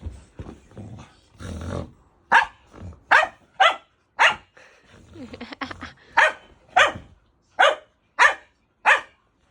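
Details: Native dog that dislikes snoring, barking at the sound: low rasping snore-like bursts at first, then a run of about ten sharp, loud barks spaced under a second apart.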